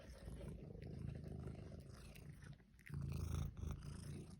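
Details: Pet cat giving a continuous deep, rough purr with a rhythmic pulsing rumble that swells louder in the last second and a half, with faint rustling above it.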